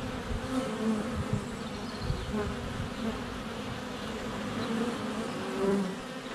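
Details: Many honey bees flying at their hive entrance on a sunny February day, recorded close up with a GoPro Hero 7 Black; a continuous droning buzz that swells and fades as individuals pass, with faint bird notes in the background.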